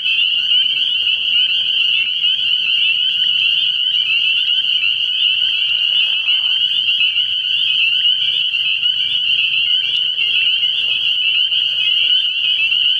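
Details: Spring peepers calling at night from a frog pond early in the year: a dense, unbroken chorus of many high, shrill peeps fused into a steady ringing wall of sound, with faint low hum beneath.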